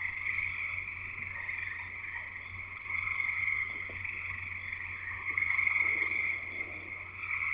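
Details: In Escanaba, Michigan, in the Upper Peninsula, a frog chorus fills the night with continuous layered high trills, growing louder toward the end, over a faint steady low hum.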